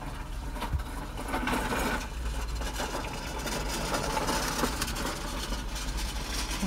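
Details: Indoor shop ambience with steady rubbing and mechanical noise, faint distant voices and occasional knocks, no animal calls.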